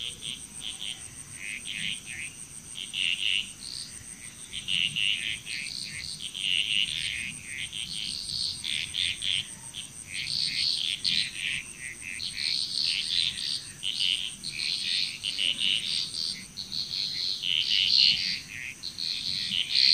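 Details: Dense frog chorus in Bali, Indonesia: many brief, rattling calls packed closely together and growing busier toward the end, beneath a continuous high insect whine.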